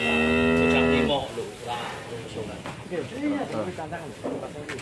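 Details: Agitated cattle, one of three huge 'monster' cows being delivered, its rope come loose and nearly bolting: a single deep, richly harmonic moo lasting about one second, then Indonesian voices and handling clatter take over.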